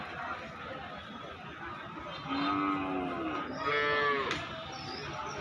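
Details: Market cattle at Basunia Hat, Nilphamari, Bangladesh, on a rainy July 20, 2026, give two loud moos: a low, curving call followed by a higher, stronger one near the end, against constant rain and crowd murmur.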